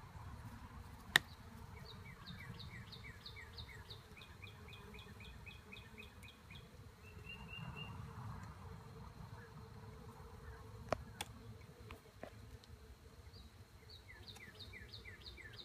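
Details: Western honey bees in an open hive, inspected more than a month after a split made on 10 April: a steady low hum runs throughout, overlaid by bursts of repeated bird chirps and a few sharp handling clicks.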